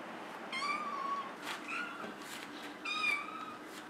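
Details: Molly, a Maine Coon cat, meows twice, each call rising and falling, with a few soft rustling bursts between them.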